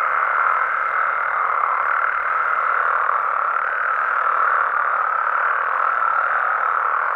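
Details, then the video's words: Nighttime amphibian chorus from Mexican habitats: many frogs and toads trill together in a continuous, even drone of overlapping croaks at a constant level throughout, with no other sounds. "Mexican Frogs & Toads Sounds"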